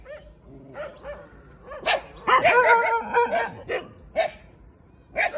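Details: A cute little puppy yaps in scattered short barks, with a cluster of strained, whiny yelps in the middle, then a few more single sharp barks in an otherwise quiet setting.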